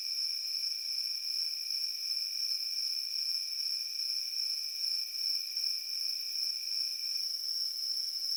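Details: A dense cricket chorus in a field hums as one bright, high, even tone with slight throbbing, plus a lower secondary whine that fades out near the end.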